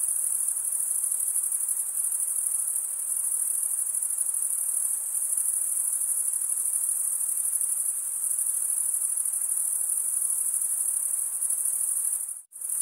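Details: Crickets, males rasping wing against wing, keep up a constant high-pitched shrill trill that cuts out abruptly for a brief moment near the end before resuming.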